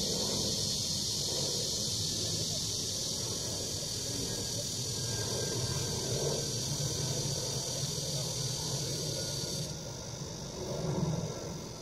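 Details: Summer cicada chorus in Bucheon's Sosa Grand Park, Korea, a continuous shrill buzzing wash that suddenly thins near the end, over a low background murmur and faint voices.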